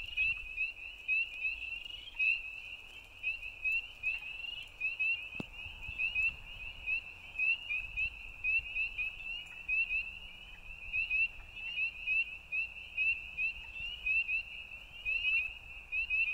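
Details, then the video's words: A night-time frog chorus forms an unbroken shrill, pulsed trill at one steady pitch. Loudness swells and fades in regular short bursts throughout, with a single brief click midway. "Frogs at Night"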